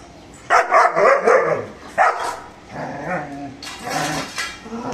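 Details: German Shepherd barking aggressively while guarding: a rapid burst of four loud, harsh barks, a single sharp bark, then several lower, rougher barks with a growly edge.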